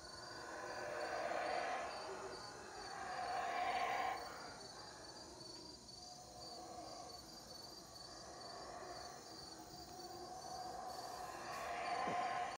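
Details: Howler monkeys calling in jungle at Teakettle in Cayo, Belize. Rough, far-off roars rise and fall in several waves, the strongest early on and again at the end, above constant insect buzz.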